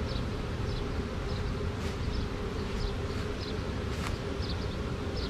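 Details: Dense low buzzing of a honey bee swarm marching into a hive box after a tree-branch catch, two queens present; continuous rough drone with scattered high chirps and a few brief clicks.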